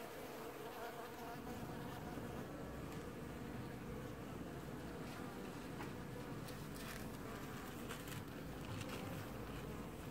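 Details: Many honey bees washboarding together at their hive in an apiary, early July 2019, give an unbroken droning hum with a heavy low rumble beneath it and faint crackles above.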